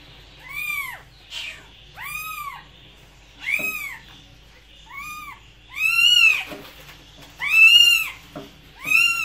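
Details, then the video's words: Meowing cat giving a string of short, arched meows that grow louder and longer toward the end, with faint clicks and shuffling sounds between calls. "Cats Voice - Cats sound - Cats Meowing"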